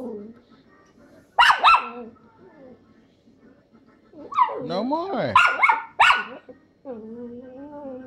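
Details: Tracie, an angry female pet Chihuahua, smacks a phone out of a hand. A pair of yappy barks is followed by a longer snarling, growling run of barks and yips, then a wavering whine.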